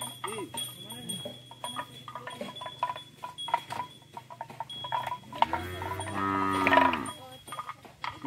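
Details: Hundreds of fat, tame cows herded back into their pen; a long, drawn-out low moo with stacked harmonics swells from about five to seven seconds, preceded by short calls and surrounded by clattering, bell-like clinks and a steady hum.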